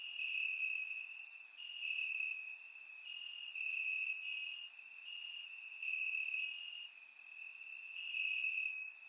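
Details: Crickets in Bulgarian grassland on a warm summer night, recorded in surround sound: a sustained shrill trill with small pitch jumps, layered with frequent bursts of quicker, brighter chirping from several insects.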